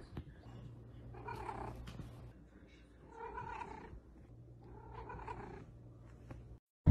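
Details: Domestic cat giving a low, rumbling purr-like sound in three long swells, each about a second, over a steady low hum, ending in a sudden loud knock.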